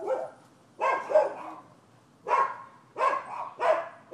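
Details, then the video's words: Persistent barking by neighbors' dogs on a Florida property, December 2015: five rough, full barks, a close pair, then a gap and three more in quick succession. "Barking Dogs"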